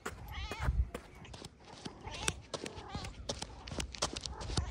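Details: Kitten pouncing on a large plate of chicken and fish; one short wavering meow near the start, then a steady clatter of clicks and thumps from eating and handling the food.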